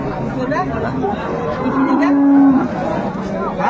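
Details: Dairy cow of an improved breed with her calf at Ambari livestock market in Dinajpur, Bangladesh, 22 April 2024; a single steady, low moo of under a second rises from the middle of a busy, murmuring crowd.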